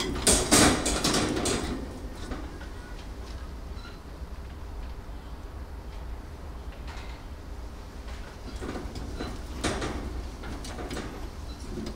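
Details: Indoor handling noises of rattling, sliding and clattering, loudest at the start and around nine to ten seconds, over a low steady hum.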